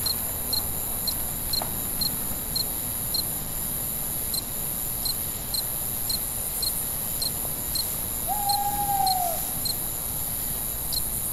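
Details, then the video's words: Night-time crickets chirping in an even, rapid beat, bright pulses repeating roughly twice per second above a continuous high insect drone; a single drawn-out owl hoot sounds past the midpoint. "Night Ambient Sounds, Cricket, Sounds at Night"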